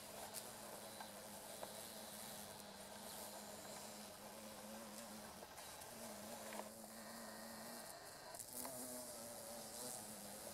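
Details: Two female carpenter bees (Xylocopa appendiculata circumvolans) buzz-pollinating meadow-rue flowers along a railway in Japan, mid-August; a steady low droning buzz that breaks off and resumes in bursts over constant outdoor background noise.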